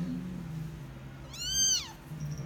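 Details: Persian cat giving birth to her kittens gives a single high, arching meow that rises and then falls away.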